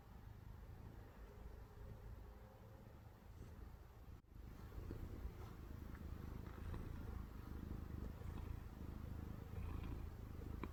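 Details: Domestic cat purring steadily while asleep, a low continuous rumbling drone that sounds like snoring, with a brief click near the four-second mark.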